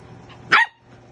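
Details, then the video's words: A single sharp, high yip from a corgi, as puppy Jasper argues with adult dog Sunny during play, over a quiet background with a faint low hum. "Corgi puppy argues with adult dog"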